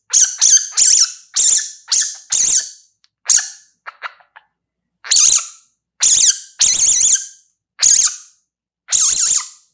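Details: Baby civet giving a series of loud, harsh, high-pitched screeching calls, each about a third of a second long, repeated roughly once a second with short pauses between bursts; some calls waver and a few soft clicks fall in a gap.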